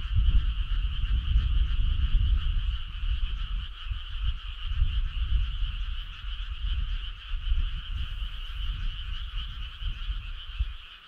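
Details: Frogs calling on a summer night: a dense, continuous chorus of trilling at two steady pitch bands, one lower and one higher, over a rumbling low background that swells and fades.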